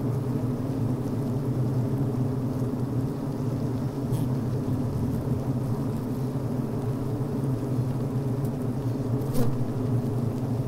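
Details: Healthy honey bee hive recorded from inside on the brood frame: a steady, dense low hum with harmonic bands, workers venting and chewing, a few brief sharp clicks and a buzzy zip near the end.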